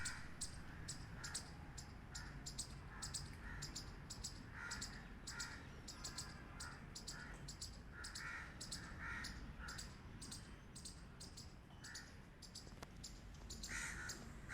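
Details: Squirrel chirps loudly in a long series of short, dry, clicking calls with occasional rougher rasping notes, delivered almost continuously against a constant low rumble.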